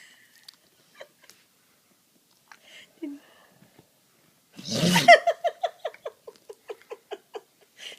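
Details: Golden Retriever sneezing after a bout of snoring. Quiet at first with faint scattered sounds, then one loud explosive sneeze, followed by about a dozen short, evenly spaced snuffling puffs that fade out.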